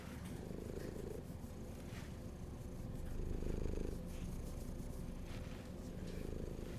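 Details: Domestic cat described as hungry, purring steadily: a low continuous rumble with a swelling in loudness near the middle, faint clicks and rustles above.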